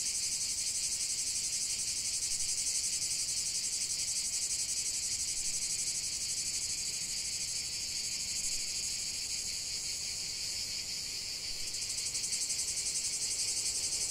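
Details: Many cicadas singing together, a relentless bright rasping buzz with quick even throbs, steady in loudness, one voice briefly dropping out after about twelve seconds.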